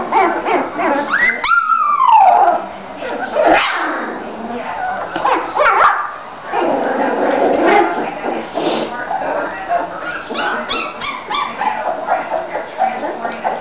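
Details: Bulldog puppies three weeks old, males and females, romping together in Florida: a loud, high whine sweeps downward early on, followed by scattered squeaky yips and grumbles over steady background talk.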